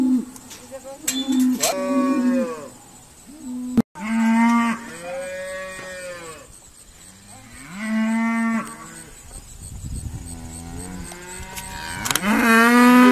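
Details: Irish Dexter cows moo repeatedly while being sorted at Stone Meadow Farm; a string of loud harmonic bellows from several animals, a sharp knock near four seconds, a quieter gap, then a rising loud call at the end.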